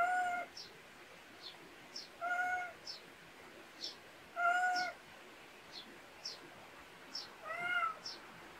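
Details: Domestic cat raised in the Korean countryside, heard in a backyard: four clear, drawn-out tonal meows spaced about two seconds apart, each slightly bending in pitch, with short high bird chirps scattered between them.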